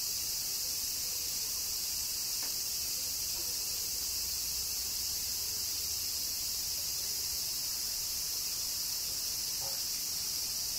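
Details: Summer rain in Kyoto, Japan, with cicadas giving a constant high-pitched whirring wash. A few faint ticks come through, and a low murmur sits beneath the drone.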